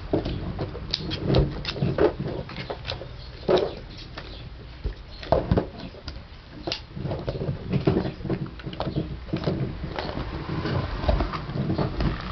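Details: Gum-chewing Basset Hound: a long run of rapid, irregular smacking and clicking jaw sounds, some bursts louder and denser, over a faint low rumble.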